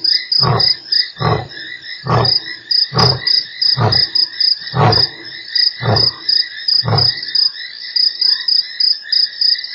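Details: Lion at Nkorho on 3 March, one of eight roars in an hour: a series of eight deep, evenly spaced grunts about every 0.8 seconds, under a dense, steady chorus of high insects.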